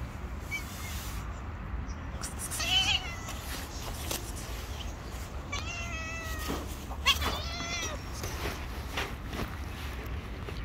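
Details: Hungry stray cats living on the street give drawn-out harmonic meows, a loud one near three seconds and a pair around six and seven seconds, with constant low urban rumble beneath.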